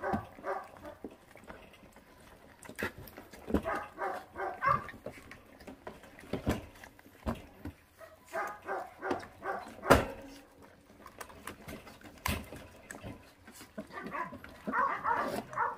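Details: Feral dog puppy eating, giving short harmonic growling bursts in irregular runs, mixed with sharp clicks and chewing noises throughout.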